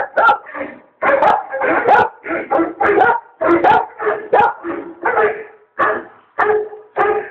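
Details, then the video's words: Junior, a dog, answers the 2012 Volkswagen commercial The Bark Side on television with rapid, rhythmic barks, roughly one every half second, loud and rough, a few ending in a held tonal note. "Junior responds to the The Bark Side"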